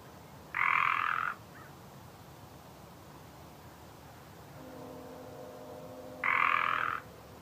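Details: Land call of a Northern Pacific treefrog: a pair of coarse, buzzy croaks lasting nearly a second each, separated by almost six seconds, with a low steady mechanical hum rising in the background before the second call.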